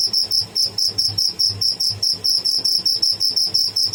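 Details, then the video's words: High-pitched cricket chirps from a live tidda, short shrill pulses repeated roughly two to three times per second in an even, insistent rhythm. "Tidda making bad sound / noise"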